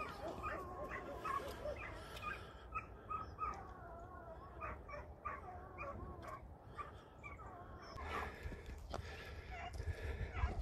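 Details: Lurchers out foxing in daytime give a run of excited, high, tonal yelps and whines, short calls repeated throughout with brief rising and falling notes, over a steady low rumble of wind or movement.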